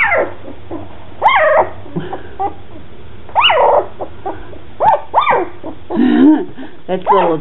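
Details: Red and black standard poodle puppies, two weeks old, from Cooper and Molly's second litter, fussing with high arching whines and yelps, about five loud rising-then-falling cries with softer squeaks between, a person murmuring nearby.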